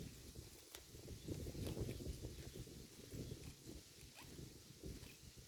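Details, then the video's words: Grazing herd of cows cropping grass, producing a busy stream of low, irregular munching and tearing crunches, a few sharper clicks, and a fuller burst around the middle. "The Sound of a Herd of Cows Eating Grass"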